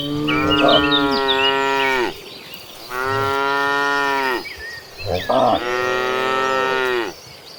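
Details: Tame cattle walking in a herd of dozens toward farm pasture give three long, rich moos, each about two seconds with a slight falling end and brief pauses between, over light birdsong.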